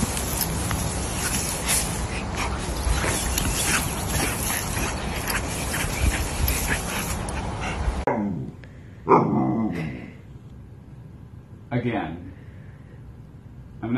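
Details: Pet Siberian Husky vocalizing: a loud rushing noise fills the first eight seconds, then three short, harmonic, whining howl-like yelps rise and fall at uneven intervals against a quiet background.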